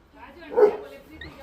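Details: Pet Labrador Retriever in a fight, giving one loud, short bark in the middle, with people talking quietly around it.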